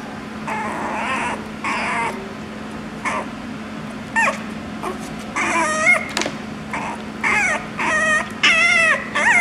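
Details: Chihuahua puppy in a pet shop; repeated high, wavering whines and yelps in short bursts of about half a second, growing more frequent toward the end, over a steady low electrical hum.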